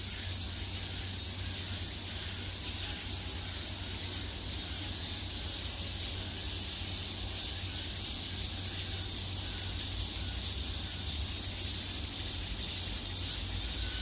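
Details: Cicadas at the peak of summer, a steady hissing buzz from many insects held without a break at high pitch, with no clear pulses or pauses, over a faint low hum throughout.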